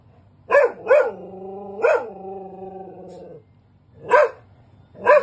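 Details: Labradoodle barking at home in a multi-occupancy building, guarding and protecting his family while reacting to someone knocking at the door; sharp harmonic barks, two quick ones then a long drawn-out whining yowl, followed by two more barks.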